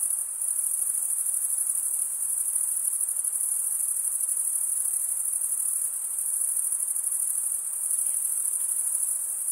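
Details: A continuous chorus of chirping crickets, produced by males scraping wing over serrated wing vein, holds a bright, very high trill at an even level throughout, with a fine rapid pulse and faint soft hiss beneath.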